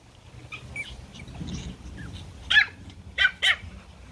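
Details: Toy Pomeranian puppies at play in a garden: soft squeaky yips early, then three sharp high barks near the end, with light background rumble.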